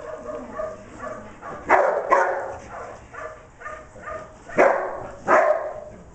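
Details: Declan, a dog herding sheep on 25 September 2011, gives several sharp barks spaced irregularly, with quieter yips and whines between them.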